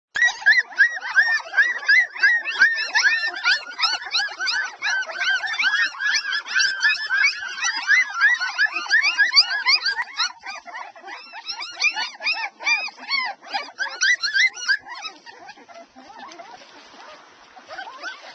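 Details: A litter of twelve Airedale Terrier puppies, two and a half weeks old, nursing: a dense chorus of high, overlapping squeaks and whines, each short and arching, packed several per second with little pause.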